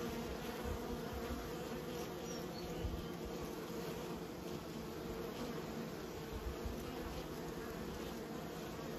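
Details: Honey bees from a beekeeping setting making a constant, even buzzing hum, many wings blending into one drone, with occasional soft low bumps.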